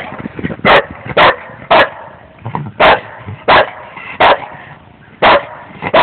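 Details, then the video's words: Scooby, a dog, lets out a steady run of loud barks roughly every half second, with softer murmurs and rustling between them. "Scooby Barking"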